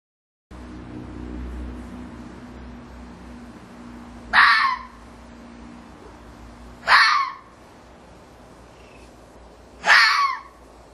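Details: Red fox, orphaned cubs kept in a pen and later returned to the wild: three short, harsh, raspy bursts spaced about three seconds apart over a low steady hum.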